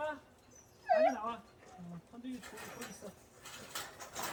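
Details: Cheondung-i, a pet dog, just after a walk, gives one short, high, arching yelp near the start, followed by low murmuring human voices and faint handling noises.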